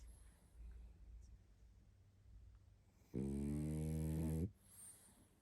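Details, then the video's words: Sound asleep and tired, a pug called Barney produces one long, low, rasping snore lasting over a second, preceded by quiet soft breathing indoors. "Мопс спит и храпит😴Уставший Барни."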